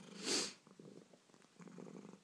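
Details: An indoor pet cat with hiccups purrs softly in low, fluttering pulses. A single short, hissing burst comes at the start.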